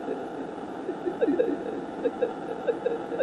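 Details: Fin whale calls, recorded by deep-ocean hydrophones, played back as a string of short, chirping downward sweeps over steady underwater hiss.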